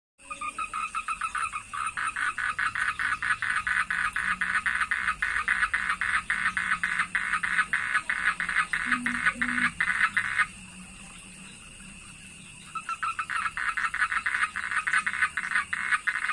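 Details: Frogs around a fish pond behind a house give a dense, rapid chorus of pulsed croaks that briefly stops, then resumes.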